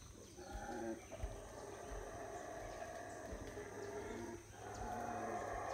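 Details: Howler monkeys at Howler Monkey Resort in the Belize jungle on a rainy morning: a steady, rough, droning roar runs throughout, dipping briefly near the end before rising again.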